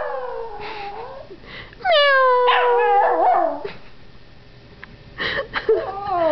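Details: Young Yorkshire Terrier Howie howling at meowing during his first howl. Fainter, wavering sounds come first, then a loud, long wail with a gently falling pitch, and shorter bent notes near the end.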